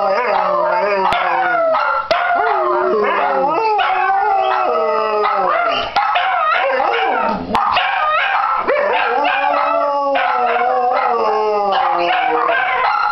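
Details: Several Dachshunds howling together in a group session started by one dog before a walk, another joining in eagerly; overlapping wavering, sliding howls held continuously, with Christmas music from a television in the background.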